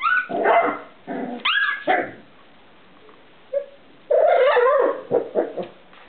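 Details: Young Irish terrier, four weeks old, giving loud, rising whines and yelping cries in short bursts separated by pauses. A rougher, noisier squealing outburst comes near the end.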